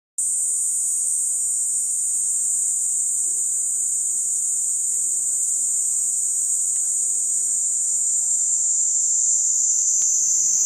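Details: Cicada giving a loud, steady, high-pitched buzz that holds unbroken for about ten seconds, with only faint low background hum beneath.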